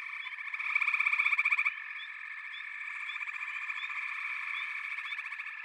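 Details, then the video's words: Backwater frog chorus of overlapping buzzy trills; one caller bursts out with a loud, fast pulsed rattle for about a second before it drops back into the steady droning background, which is dotted with brief rising chirps. "Backwater Chorus, & Frog Chorus"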